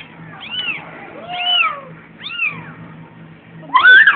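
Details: Kitten meowing indoors; three high, arching mews about a second apart, rising then falling, followed by a louder, sharper cry, with a woman speaking Tagalog softly nearby.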